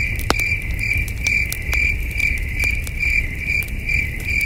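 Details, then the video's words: Night crickets near a flickering campfire in the wilderness give rapid, regular high chirps, about eleven in a few seconds, interrupted by loud fire crackles and backed by a soft low roar. "Camping Under a Million Stars with Soothing Cricket Sounds"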